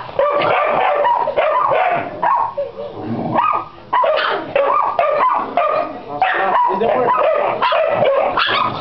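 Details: Mixed-breed Pit Bull and Yorkshire Terrier dog barking repeatedly, its high yapping barks coming in irregular runs with a brief quieter pause midway.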